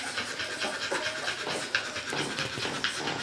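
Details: Three-week-old Barbet pups feeding: busy breathy panting and smacking, slurping noises, broken by a few short nasal squeaks.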